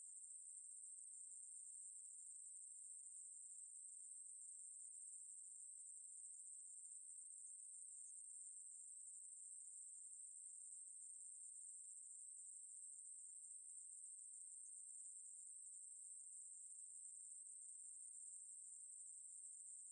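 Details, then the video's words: Ruspolia katydid song, 2020 National Institute of Biological Resources recording: a long, monotonous, very high-pitched buzzing drone that runs without pause at constant loudness over a quiet background. "매부리, 여러번 듣기, 곤충소리"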